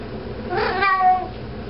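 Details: House cat walking around holding a sock, giving a single short muffled meow that rises and falls, over steady indoor hum.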